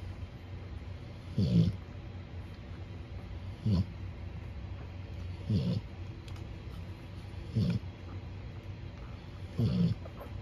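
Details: Cane Corso puppy snoring in a whelping area under a heat lamp, the litter recently back from the vet; low, rasping snore bursts repeat roughly every two seconds over a steady low hum.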